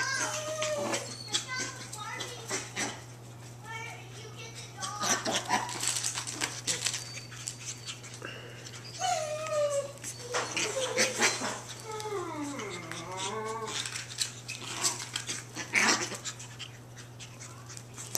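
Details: Emerald and Ruby, two ultra tiny female long-coat Chihuahua puppies, playing together: bursts of high, squeaky yips and short whining squeals, some rising and falling, scattered through the play, with a woman talking and calling to them over the top.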